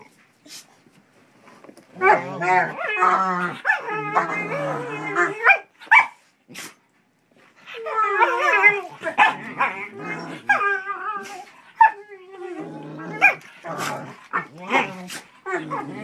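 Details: Pit bull puppy and shepherd playing indoors, the puppy antagonizing the older dog; bursts of growling, snarling barks and yelps in rapid clusters separated by brief quiet gaps, with sharp clicking noises throughout.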